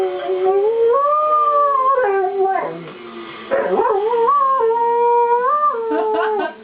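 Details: Dog howling along to tornado warning sirens sounded the first Wednesday of each month; warbling, wavering howls that climb and dip, broken by short yips, over a faint steady siren tone.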